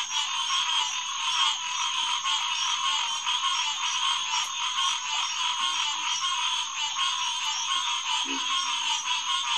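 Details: Evening chorus of green tree frogs at a June pond in St. Marks National Wildlife Refuge, 2021; a steady dense wash of overlapping calls, with one short low croak standing out late on.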